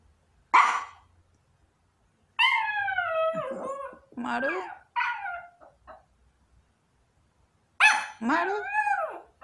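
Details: A small long-coat Chihuahua, waiting at the front door an hour after its owner left for work, howls like a wolf in high, drawn-out wails that waver and slide downward in pitch.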